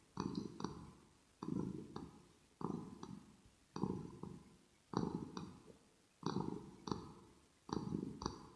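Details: Kitten named Rosetta purring close to the ear for relaxation, with grooming and mouth smacking: low rumbling pulses swelling about once every 1.2 seconds, each breath punctuated by sharp clicks and higher ticking.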